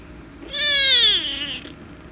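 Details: Angry rescue kitten meowing loudly while being petted: one long, harmonic-rich meow about a second long, rising slightly then sliding down in pitch, against a quiet indoor background.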